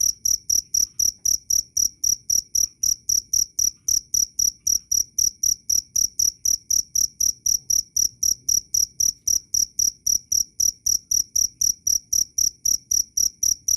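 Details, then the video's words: Loud, clear cricket chirps meant as a master recording for songbirds, a rapid, even run of shrill pulses, roughly four each second for nearly fourteen seconds without a break. "Suara asli jangkrik Keras dan jernih"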